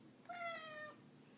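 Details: Ragdoll cat giving one clear meow of about half a second, starting sharply and gently falling in pitch, with a person speaking around it.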